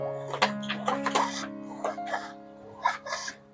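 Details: Music with laughter and some speech in a small room; no animal sound is heard.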